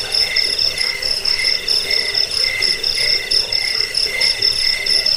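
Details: Cricket chirps used as a rat-repelling sleep sound and songbird master track; shrill pulses fall into a slightly slower, even rhythm, about one and a half per second, over a faint hiss.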